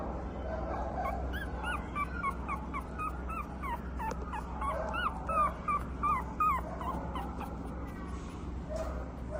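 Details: Female Boston Terrier and Pug mix puppy, brindle with a white chest: a quick series of short, high, rising-then-falling whimpering whines, about three each second, over a steady low hum.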